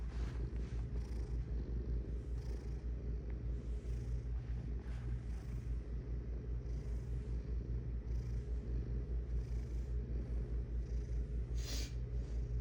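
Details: Pet cat purring without pause, a low vibrating rumble pulsing around two and a half times per second, with occasional faint rustling and one brief higher scrape late on.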